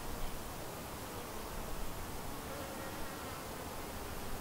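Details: Continuous, even drone of honey bees flying around their white hive, a thriving split colony, with no single bee standing out from the mass of wings.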